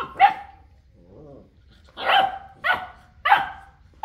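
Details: Boerboel, an African Mastiff from a pair living in Egypt, barking loudly: a single harsh bark, a soft low whine-like sound, then three more heavy barks in quick order, with another starting at the end.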